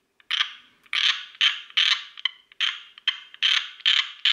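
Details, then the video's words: Tree frog calling loudly and close by: harsh, rasping, ratchet-like bursts, each fading quickly, repeated about twice a second with roughly ten bursts in four seconds, over a silent background. "Tree Frog"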